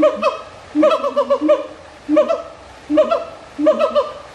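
A siamang gives loud, hooting calls in quick rhythmic bursts, each note bending up and down.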